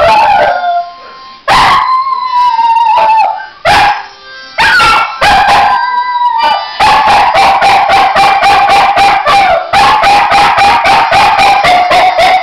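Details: Finn, a Norwegian Elkhound x American Eskimo dog, sings on request as a favourite pastime. Drawn-out wavering howls give way to a rapid run of short, sharp yipping notes at a steady mid pitch, repeated several times a second.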